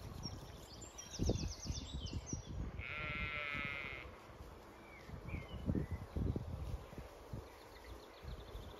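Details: Zwartbles ewes and lambs at pasture in County Kilkenny, Ireland, on a hot May day; a single quavering bleat lasting about a second, amid rustling, thumps and a steady high electronic whine.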